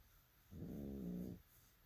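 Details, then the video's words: Asleep bulldog giving a single low, buzzy snore with a slight nasal tone, lasting just under a second, against a quiet background. "So loud (snoring away)"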